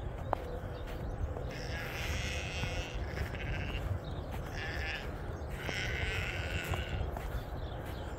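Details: Sheep on a homestead as snow begins to melt, ewes coming in with their lambs: two broad, wavering bleats with harmonic bands, the first near two seconds and the second near six, over steady low background rumble.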